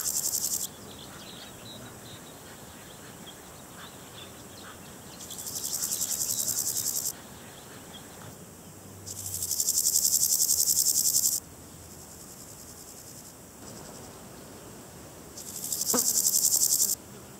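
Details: A Variable Chorthippus grasshopper (Chorthippus maritimus) gives dry, hissing bursts of stridulation, each about two seconds long.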